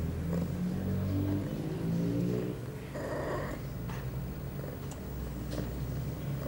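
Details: Pia, an eight-month-old female cat in heat, filmed September 23, 2011, two hours after her first birth control pill; low rumbling purr-like trills with rising and falling tones fill the first seconds, then a steady low hum.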